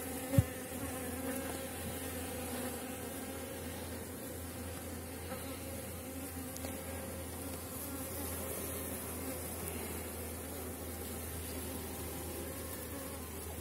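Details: Honey bees swarm over a heavy widened Warsaw frame lifted from a strong colony near season's end. Dense, even droning buzz persists throughout, with a single sharp knock at the start and a low rumble underneath.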